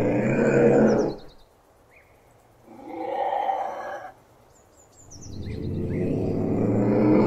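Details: Ocelot giving loud, hoarse, harmonic yowls, one lasting about a second and another building from five seconds on, separated by a quieter mid-pitched moan; thin high bird chirps and whistles sound in the background.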